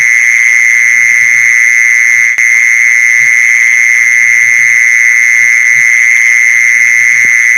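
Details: Mole cricket call played to lure mole crickets: an unbroken, steady, high-pitched buzzing trill that holds one even pitch throughout, with a fainter overtone above and soft low knocks scattered underneath.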